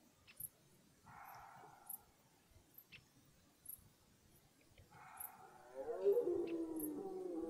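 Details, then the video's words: Red deer stags roaring in a forest at the start of the rut: two hoarse, drawn-out bellows, the second louder and sliding downward. Regular soft high ticks run throughout. "Die Hirschbrunft beginnt"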